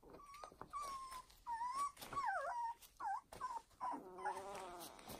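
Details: A new litter of foster puppies whimpering: thin, high whistled whines, some flat and some bending up and down, come in quick uneven bursts, ending in a wavering, buzzier cry.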